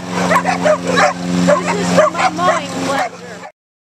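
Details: Pit bulldogs and a Jack Russell-like dog from next door go after a lawnmower during backyard mowing. Dense, excited barks and yips tumble over one another above a constant engine drone, then stop abruptly.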